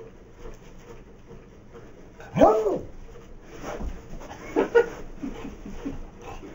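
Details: Max, a Beagle, gives two short arched barks about two seconds apart, with a low room hum and faint shuffling in between.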